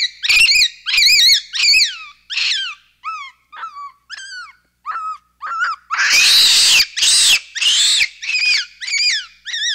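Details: Capuchin monkey in a loud calling bout, with high arched whistles repeated in quick succession, broken by bursts of harsh screaming, then more rising-and-falling whistled notes.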